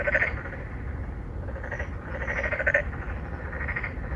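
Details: Several narrow-mouthed frogs in an apartment-complex pond, Incheon Songdo, Korea, calling in courtship of females. Repeated rasping, pulsed croaks from more than one frog come and go throughout, over a low, continuous rumble.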